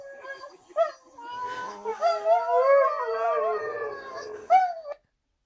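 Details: Female Siberian Husky crying while watching another husky being bathed on a screen; short broken vocal bursts lead into a warbling, undulating howl with a faint voice in the background, ending with a brief cry.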